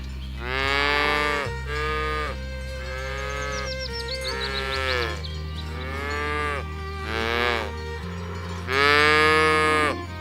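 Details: A herd of cattle being driven through a rice field ditch toward the village pen. Five drawn-out, harmonic moos of about a second each, some rising then falling, with a steady low droning tone underneath throughout.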